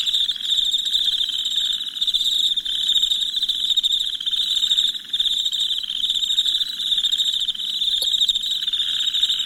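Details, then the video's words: A nighttime cricket chorus of even, high chirping, densely pulsed and almost constant in loudness. One faint tick sounds near the end. "Soothing Crickets Chirping Sounds"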